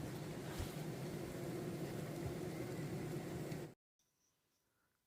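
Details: A broad rumbling vehicle or motor noise fills almost four seconds at a beekeeping yard, then cuts to near silence; no animal sounds are heard.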